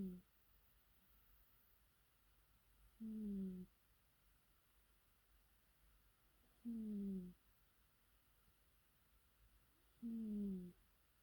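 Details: Domestic cat snoring indoors: a soft, low, hum-like tone on each breath, drifting slightly downward, heard about every three and a half seconds with quiet pauses between, in a small quiet room.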